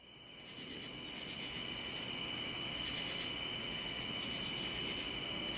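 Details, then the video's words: Cricket calling: a steady, continuous high-pitched trill, sustained without pause, over a soft background hiss. "cricket sound"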